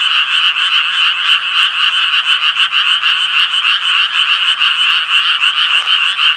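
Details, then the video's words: Many Japanese tree frogs croaking together: grating, high-pitched calls repeated quickly and overlapping into a pulsing drone that stays loud and even throughout. "청개구리 울음소리"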